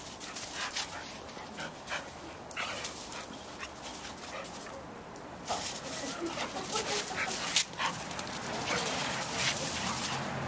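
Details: Harper, a female Pitbull mix, and Zeus, a male Rottweiler mix, shelter dogs at the Putnam Humane Society in Carmel, NY, playing together for the first time: scattered short yips and barks over scuffling noise and human voices.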